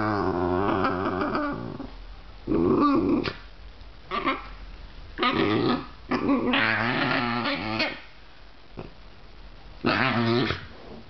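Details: Two basenjis, a visiting female and a resident dog, play together, producing warbling, yodelling sounds that rise and fall in pitch in bursts of about a second, mixed with rough growls and whimpers and quiet pauses.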